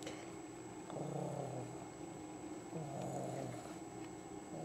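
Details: Young female domestic cat, just over 26 months old, nesting and playing in a basket indoors in Lenexa, Kansas, August 2008; low rumbling purr in two long bursts, with a woman talking softly nearby.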